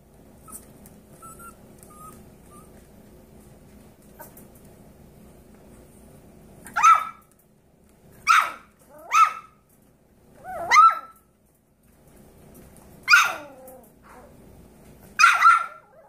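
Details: Seven-week-old Yorkshire Terrier foster puppies indoors give six high, sharp yips in short bursts over the second half, spaced one to two seconds apart, after a quiet opening with faint low background hum.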